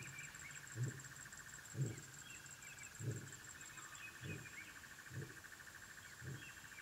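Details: African wild dog pups at their den give softer, short low calls about once per second, with a continuous insect chorus and occasional bird notes in the background.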